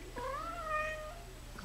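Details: A pet cat lying lazily on his back gives a single drawn-out meow, rising slightly then levelling and fading over about one second, with a steady low hum behind.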